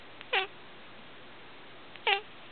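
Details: Domestic cat indoors meowing along as its owner sings "Old MacDonald"; two short, bright meows about two seconds apart, with quiet singing before and after.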